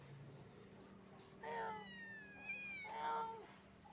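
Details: Kitten getting acquainted with its new sister: a drawn-out, high, harmonic-rich meow, then a short break and a second, shorter meow, over a low steady background hum.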